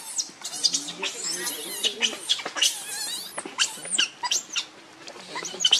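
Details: Hungry baby monkey Rainbow, wanting milk and hugging its mother, gives continuous shrill, quavering screams that rise and fall, packed closely together with a few softer squeaks between them.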